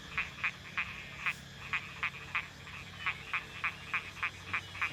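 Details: Frogs calling across rice fields at dusk after a day and night of heavy rain: short, sharp, high clicking notes repeated about three times a second in a steady series over a faint low hum.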